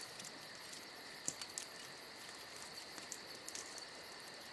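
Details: Shrill, steady cricket song on a summer night runs beneath a busy crackling campfire giving frequent small pops and ticks.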